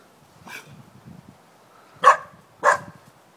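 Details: Luna, a young puppy only a few months old, confronting a bucket she finds threatening. One faint bark is followed by two loud, short, sharp barks about half a second apart, with quiet shuffling beneath.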